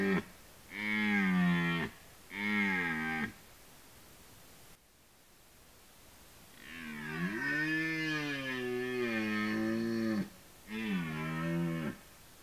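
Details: Red deer roaring during the rut in woodland: two short throaty bellows, a quiet gap, then one long wavering roar of about three and a half seconds followed by a final short bellow.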